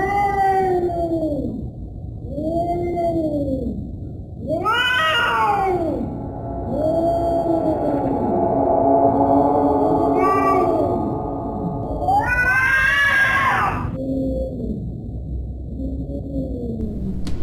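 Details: Domestic cat giving scary, drawn-out meows: a string of arched, wavering cries, some low and moaning, others rising into louder, higher wails around the middle and near the end, with a steady low hum underneath.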